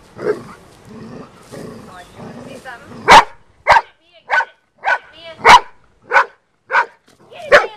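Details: Female Golden Retriever attacking a snake in a backyard, barking: after a few seconds of human speech, nine sharp, loud single barks follow, spaced about half a second to a second apart.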